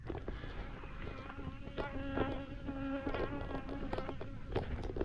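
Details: Honey bee swarm clustered on a fence, being collected into a box by a beekeeper; a dense, steady buzzing hum with overlapping tones that rise and fall, while a man talks to the bees nearby.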